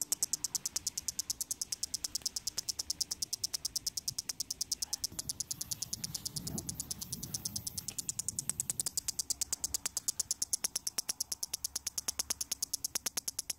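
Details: Headless cicada found lying on the ground, still producing sound shortly before it stopped for good: a steady train of sharp, high-pitched clicks, about three per second, over a faint low background rumble.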